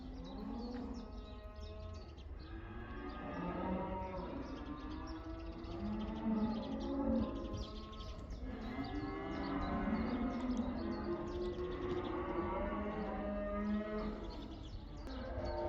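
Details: A herd of cows turned back into pasture in the Netherlands, the so-called cow dance, including black cows: a dense chorus of long, wavering moos overlapping throughout, swelling in loudness toward the middle.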